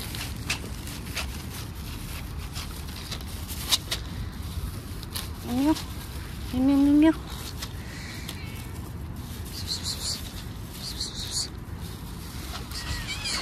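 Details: Hungry stray cat fed on a roadside, giving two short harmonic meows that rise and then fall, a few seconds apart, over steady outdoor traffic hum and scattered clicks and footsteps.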